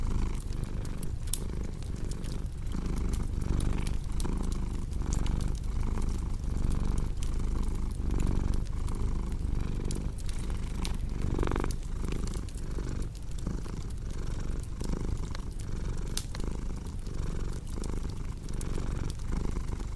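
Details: Strong, steady purring from a cat, a deep vibrating drone with rhythmic in-and-out swells, layered over the sharp intermittent crackle and pop of a burning fireplace.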